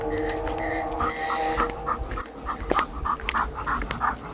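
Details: Pit bull dog out on a walk, panting in quick rhythmic breathy bursts about three times a second, with a steady faint whine-like tone underneath and soft outdoor background noise.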